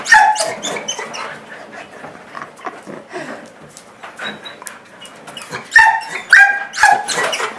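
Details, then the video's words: Portuguese Water Dog excitedly welcoming its owner home: squeaky-toy-like whining yelps open the passage, soft panting and rustling follow, then a fresh burst of sharp squeaks and bark-whines near the end. "Dog making sounds like a squeaky toy"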